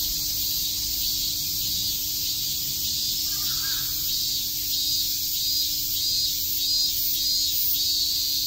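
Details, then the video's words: Cicadas chirping on a summer day in Shakujii Park, Tokyo: a dense, steady shrill hiss fills the high range without a break, with a faint low hum beneath and a brief soft call near the middle. "Cicada chirps"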